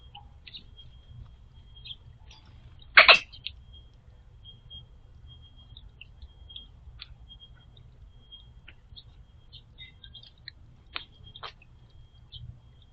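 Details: A squirrel drinking from a water bowl, perhaps choking on water or a floating sunflower seed, gives a single sharp, harsh cough over a thin, steady high whine.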